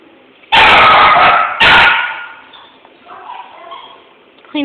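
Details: Male Jack Russell Terrier, phone-recorded, barking twice in loud, harsh bursts about a second apart, followed by quieter human speech.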